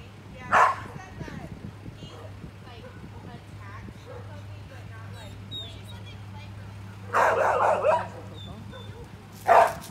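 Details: An Australian shepherd barks three times: one short sharp bark near the start, a longer burst of two or three barks after a quiet stretch, then a final single bark, with a low steady hum and faint voices in between.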